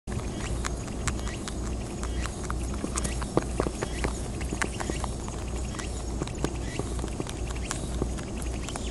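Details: Wild rabbits on Okunoshima, known as Rabbit Island, in Takehara, Hiroshima, Japan, greedily eating timothy hay. Dense, crisp crunching and snapping bites pop irregularly over a steady low outdoor rumble.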